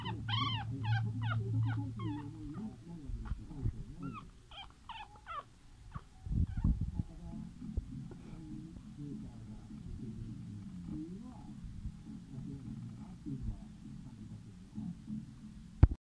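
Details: Female French Bulldog puppy, fifth pup of Budovar, gives a quick run of high, wavering squeaky whines in the opening seconds, then a few more squeals around five seconds, followed by low snuffling and grunting with faint background rumble.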